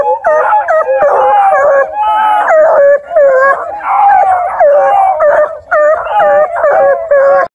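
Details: River Styx Indigo, a ten-month-old female Bluetick Coonhound, UKC registered and raised indoors, gives long, drawn-out, mournful howls in overlapping bursts, broken by brief pauses, with a rising and falling voice throughout.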